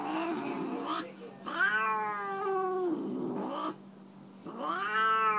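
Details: A Siamese tabby cat, Tammy, complains as her nails are trimmed, giving a series of wavering howls: a short low cry, a longer arching wail, a muffled stretch, then another rising yowl after a short gap.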